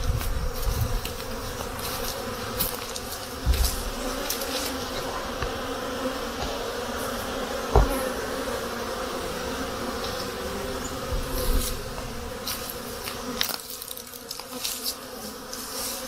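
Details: Honey bees humming at their hives during spring activity, on a day when snow was melting and it reached 50 degrees Fahrenheit; a steady, low droning buzz runs throughout with a few sharp knocks and taps.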